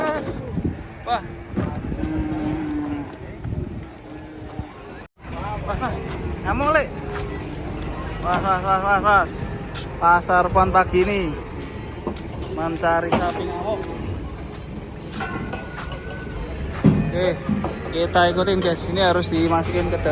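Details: Cattle coming down from a truck, giving several low harmonic moos with bending pitch, some short and some drawn out, amid people talking, shouting and vehicle noise.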